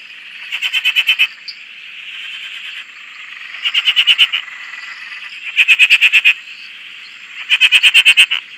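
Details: Frog chorus recorded from a shack on a dam in Australia: loud bursts of rapid pulsed croaks, about ten pulses each, repeated every two seconds over a steady background hum of more frogs calling.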